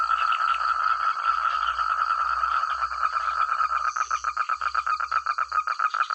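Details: Many frogs calling together in village rice paddies, loud and clear: a continuous buzzing croak that breaks into distinct rapid pulses in the second half, over a constant high-pitched insect drone.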